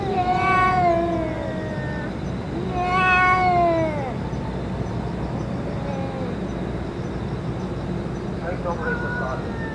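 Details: Boss stray cat and companions after a meal with medicine: two long, loud, downward-bending meows rich in overtones, followed by quieter, shorter mews and a final brief call, over low constant background noise.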